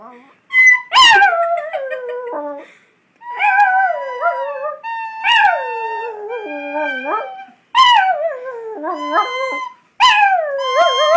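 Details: Chihuahua singing along to a recorder: long wavering howls that swoop down then rise, in phrases of two to three seconds separated by short pauses, with a steady high recorder tone running beneath.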